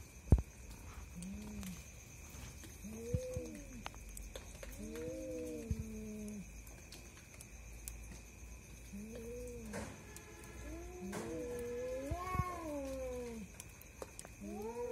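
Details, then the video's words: Two cats fighting at night, a pair kept apart by nothing but their quarrel: drawn-out, low moaning yowls that rise and fall, in bursts separated by short pauses, with a steady faint electrical hum behind. "দুই ভৌতিক বিড়ালের ভয়ানক মারামারি, আমার রাতের ঘুম হারাম করছে এই স্বামী স্ত্রী, cat's fighting video"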